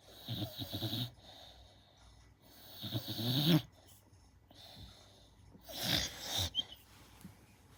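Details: Sleeping American Staffordshire Terrier puppy Gina, five months old, snoring loudly indoors: rough, rumbling snores with a wheezy, whistling edge, three uneven bursts with a sharp snort-like final breath.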